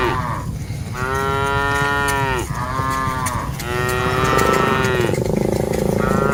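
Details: Cattle mooing while dozens of them are driven along by herders: two long, drawn-out lowing calls with rich harmonics, each falling slightly at the end, followed by the start of a third, over a steady low rumble.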